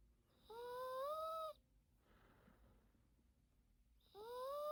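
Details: Daytime nap of a Yorkshire Terrier named Teto: two long, reedy, whistle-like snores, each slowly climbing in pitch, separated by a soft breathy pause in a quiet indoor room.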